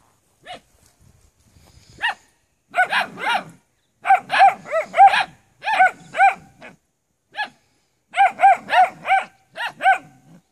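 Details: Maremma Sheepdog pups bark in rapid clusters of shrill, bouncing yaps, three or four in quick succession, separated by brief pauses in an otherwise quiet setting.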